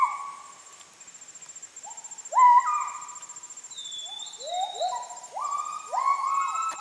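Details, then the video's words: Wild Müller's gibbons (kelempiau) in the Heart of Borneo rainforest near Sriwangi Village, Kapuas Hulu, heard after moving off, recorded while walking: loud, hooting notes that swoop upward, rising in pitch and quickening, over a steady high insect whine. "The Amazing Sounds of Kelempiau, a Rainforest Animal of Heart of Borneo"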